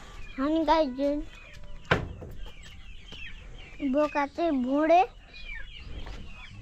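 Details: Billy goat producing wobbling, drawn-out bleats, one early and a louder rising series later, broken by a sharp thump and surrounded by background chatter.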